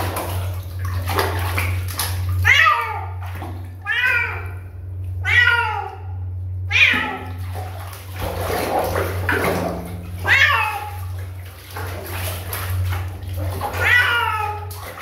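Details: A kitten gives a run of repeated high, wavering meows, roughly every one to three seconds, with short pauses between. A constant low electrical-sounding hum runs underneath, and there are faint background noises.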